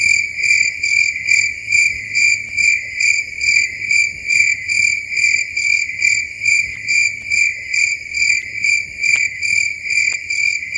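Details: Night chorus of crickets in a dark forest, shrill and continuous, rising and falling in regular waves roughly 140 times a minute over a quiet background.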